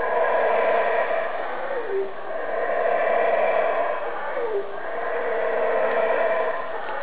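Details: Howler monkey heard up close, calling from somewhere overhead but never seen: a deep, rough, continuous roar that swells and eases in long waves, broad and droning with layered tones throughout.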